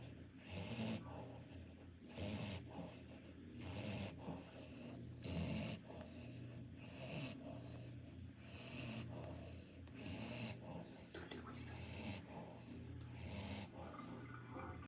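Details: Sleeping Pomeranian after a spa session gives rhythmic, wheezy snores about every 1.6 seconds, each a raspy inhale burst over constant hissing water background.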